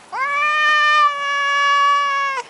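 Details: A talkative male Maine Coon in the garden, refusing to leave his favourite bush, utters one sustained, steady meow lasting over two seconds, rich in harmonics, with a quick rise at the start and a small drop at the end.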